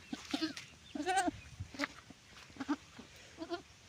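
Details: Goat during kidding: several short, nasal bleats with a wavering, quivering quality, repeated about every half second to second, with laughter and people talking nearby.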